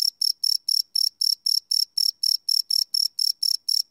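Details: Cricket chirping after dark, taken with a Sony PCM D100 field recorder; fast, ringing high-pitched pulses, about four each second, steady and clean.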